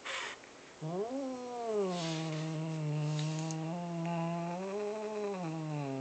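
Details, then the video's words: Playful house cat growling like a puppy when someone tries to take his fluffy ball: one sustained low harmonic growl, rising briefly then holding level with slight wavers for about five seconds, after a short huff. "Growling Huffy Cat"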